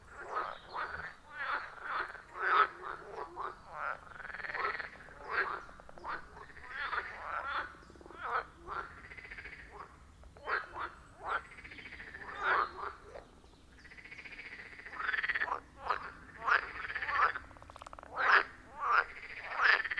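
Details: Rhythmic calling from frogs around a forest pond, iPhone 14 Pro with Shure MV88+: a long series of short, sharp croaks roughly every half second, mixed with drawn-out rattling calls, the chorus surging and easing across twenty seconds.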